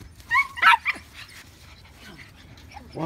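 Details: German Shepherd puppies playing and chasing their brother, with a quick burst of three high, sharp yips at the start, then quiet scuffling and a human voice at the end.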